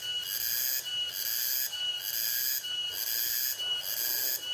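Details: At night in a rice field, nocturnal insects give a high, shrill buzzing that swells and dips in pulses about once a second.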